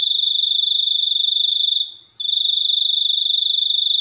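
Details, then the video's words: Cricket chirping in a continuous high, pulsing trill, rapid pulses around 214 per minute, with one brief pause midway; no other sounds stand out. "suara jangkrik super unik"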